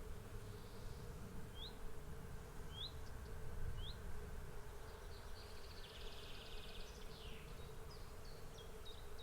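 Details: Bees swarming, their continuous hum an unbroken mid-pitched drone with a low rumble beneath; a few short, high bird chirps sound early on, then a burst of twittering near the end.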